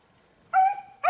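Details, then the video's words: Beagle hunting after losing the hare's trail, 19 October 2022: one clear, steady, tonal bay lasting about a third of a second, then the sharp start of a second bay, over a quiet background. "beagle tsirkoudis 19-10-2022 χαμενος λαγος"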